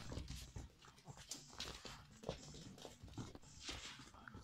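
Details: Toy Poodle puppies at play indoors in a small room: soft whimpers and panting mixed with scuffling, thumping and clattering play noises, no barking.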